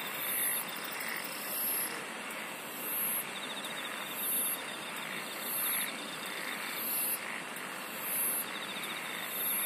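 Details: Insects singing in a night-like chorus: shrill, very high buzzing bursts recur about every 1.3 seconds over a steady thin trill. Softer, lower swelling pulses come and go, and a constant hiss fills the background.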